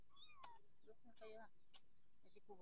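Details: Growing orange Persian kittens mewing indoors: a high falling mew, then a cluster of harmonic mews and a rising mew near the end, overlapping with soft human speech and a few sharp clicks.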